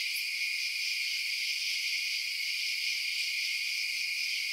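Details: Night-time cricket chirping forms an unbroken high buzzy wall of sound, even in pitch and loudness throughout, with a faint click at the start and nothing else audible.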